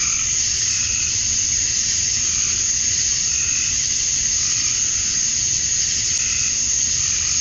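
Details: At dusk on a summer evening in Georgia, USA, male cicadas call for females in a continuous piercing drone that never pauses, while faint wavering lower notes come and go roughly every two to three seconds.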